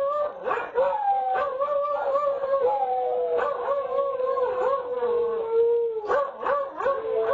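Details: Pair of beagles in a howling duet recorded by an indoor security camera; continuous overlapping howls, one voice steady and sliding slightly downward, the other breaking into short baying yelps.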